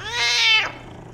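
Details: Persian cat chatting with its owner, a short bright meow under a second long that rises then falls, loud and strongly harmonic, with a faint steady hum behind it.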